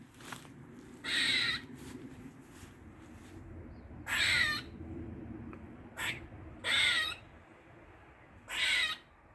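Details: A squirrel in a Dublin garden on the morning of 16 August 2023 makes strange loud, harsh, wheezing squawks, each about half a second long, roughly every two to three seconds, with a faint hum beneath.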